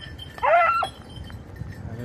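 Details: Red blue tick and lemon white beagles at hare hunting practice on Crete in 2022; one short harmonic bay of about half a second, a wavering whine, over a steady thin high bell-like tinkling and rustling.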